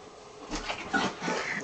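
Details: A Boston Terrier excitedly playing with balloons gives short, snuffly whimpers with a thin whine rising through them.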